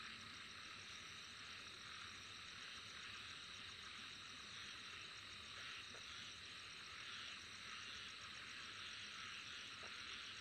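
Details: Unbroken high insect drone made of several overlapping trilling layers, swelling slightly at times over ten seconds, with a couple of faint ticks in the background.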